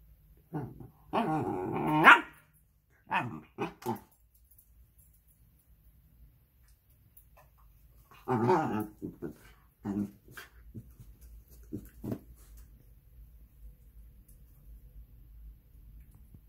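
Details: A male Shiba Inu, healthy a couple of weeks after stomach surgery, gives loud, rasping yowls mixed with growls and gruff barks in clusters of a second or two, with softer grumbles in the pauses.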